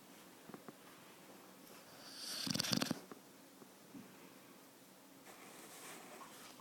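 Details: Sleeping Thai Ridgeback puppy, four months old, indoors: a single loud snore of about a second, a buzzy, fluttering rattle mixed with breathy hiss, followed by soft quiet breaths and a fainter airy exhale.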